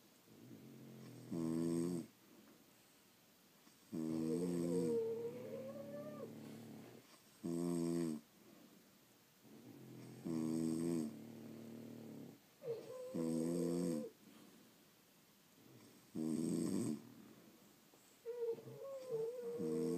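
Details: Pet French Bulldogs sleep through the night, snoring in a steady rhythm of about twenty harsh, harmonic inhalations a minute, with squeaky, whistling exhalations in between.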